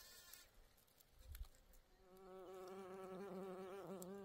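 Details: A bee among flowers gives a steady, droning buzz that rises out of faint background noise and holds with a slight waver.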